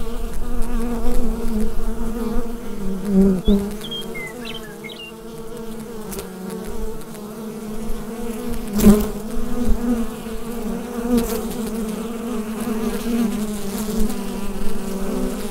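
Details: Bee hive drone through a Rode NT-USB microphone: low, constant buzzing that pulses in loudness, with a short burst of faint bird chirps early and a few sharp clicks.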